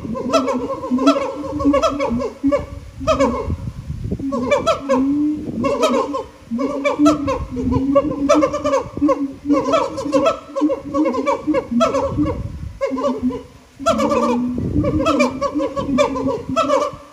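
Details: Captive siamangs at Japan Monkey Center singing, their throat sacs amplifying the voices. Loud hooting notes repeat in quick rhythmic bursts, with booming low tones and rising, barking whoops layered in an overlapping chorus throughout.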